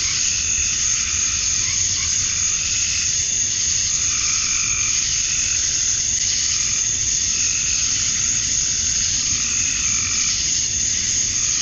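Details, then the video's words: Cicadas, males singing to attract females, at dusk on a summer night in Georgia, USA: a constant high-pitched sizzle without pauses, layered over with gentler, wavering buzzes that come and go. "Cicadas at Dusk, Summer Night"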